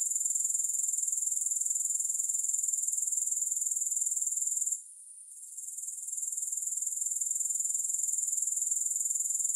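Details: Grasshoppers give a steady, very high-pitched pulsing trill that holds unbroken apart from a short dip in volume near the middle, with no music or other sounds.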